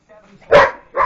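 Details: Two short, loud barks in rapid succession from pet dogs roughhousing in play.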